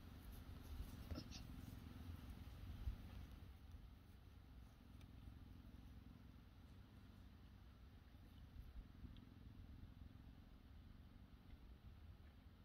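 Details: Cheetahs lounging at HESC on a Sunday in a relaxed mood while one is groomed with licks and an ear nibble; deep, continuous pulsing purr, with a brief soft rustle early on.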